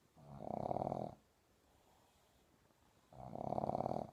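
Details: A sleeping Boston Terrier puppy snores during a nap in long, rasping, buzzy breaths about three seconds apart; Boston Terrier (Canis familiaris), snoring.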